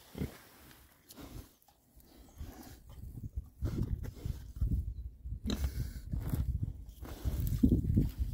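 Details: Six rare breed Oxford Sandy and Black pigs, described as happy, foraging in winter between storms; low, rough grunts come in irregular bursts, quiet at first, then louder and more frequent toward the end, with rustling in the background.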